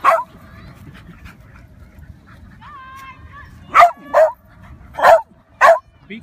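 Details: Dogs, a Miniature Schnauzer, a Westie and another, playing in a park. A brief high whine is followed by four sharp, loud barks in quick succession, with quiet rustling between them.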